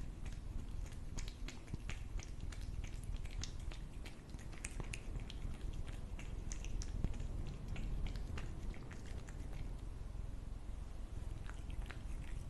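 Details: A cat eating food, with soft irregular chewing clicks and crunches scattered over a steady low rumble of background noise.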